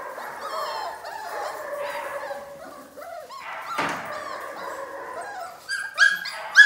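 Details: Eight four-week-old Belgian Malinois puppies, three males and five females born 13 January 2020, at feeding time give overlapping high, thin whines and squeaks, some rising and falling, with a louder squeal near the end.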